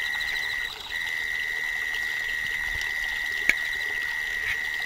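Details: Autumn insects calling outdoors while the summer is still unusually hot: one steady, high, unbroken ringing tone, briefly interrupted near the start, with a faint background hiss and a single sharp click.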